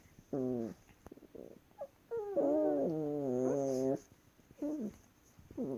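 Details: Wrestling Chihuahuas make funny noises: short nasal whines, then a long wobbling growl-whine of about a second and a half with a deep undertone, followed by brief rising whimpers; quiet room.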